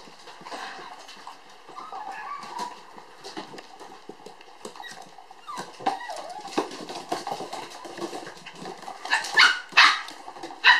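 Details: Two toy poodle sister puppies, born July 9, playing energetically at a breeder's. Soft high whines and squeaks through most of the clip, then several sharp, loud yips near the end, amid rustling from their play.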